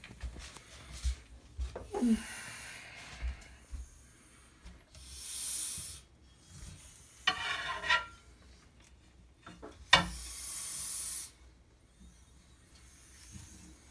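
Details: Female blood python being handled lets out two breathy, airy hisses, each about a second long, with scattered rubbing, scraping and handling noises between them.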